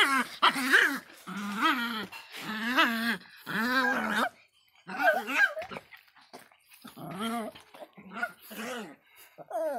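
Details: Bad-tempered Miniature Pinscher giving separate high, whiny barks with a rising-falling pitch, roughly one per second, fading to quieter, broken yaps toward the end.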